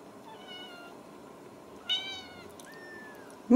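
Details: Ragdoll kittens raised indoors at a cattery in central Kansas give two high meows, a short harmonic-rich cry near the middle and a longer level one just after, over quiet room tone; a woman talks about putting up a fence.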